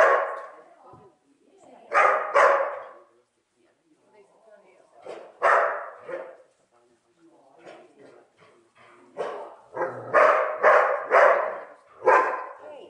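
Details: Neo, a dog on his first day herding sheep, barks in annoyance at the stick rather than at the sheep: loud, harsh barks in pairs and triplets, about ten across the stretch, with Finnish speech between bursts.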